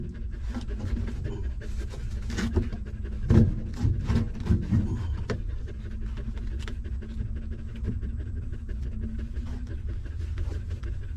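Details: Stray mother dog's newborn puppies nursing hungrily. Wet sucking smacks repeat throughout, and a cluster of brief whimpers and grunts comes in the middle, all over a dull low rumble.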